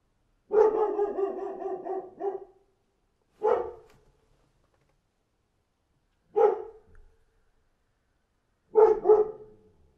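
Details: A dog barking outside, first a long drawn-out bark, then single sharp barks every few seconds.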